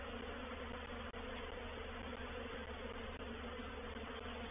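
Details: Reproductive swarm of honey bees moving into a bait hive, or swarm trap, recorded 04/07/21: a dense, steady, unbroken hum of many wings, with low droning bands and a broad buzzy wash, no pauses across the whole stretch.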